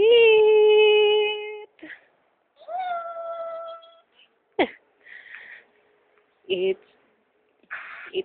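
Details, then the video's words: A talking cat gives a long, steady, tonal meow lasting over a second, then a second higher drawn-out meow, followed by short scattered clicks and brief noisy bursts. "Talking cat"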